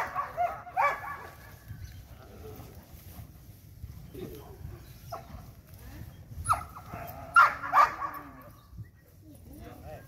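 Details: Belgian Malinois in a light training session, giving a short bark at first and then a pair of sharp, loud barks a few seconds later, with quieter sounds and human voices between.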